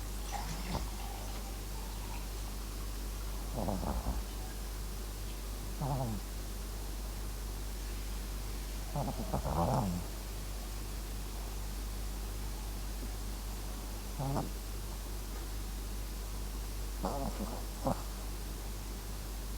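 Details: Sleeping Max, a Papillon crossed with Japanese Chin, snores in faint irregular raspy bursts a few seconds apart, some doubled, above a steady room hum.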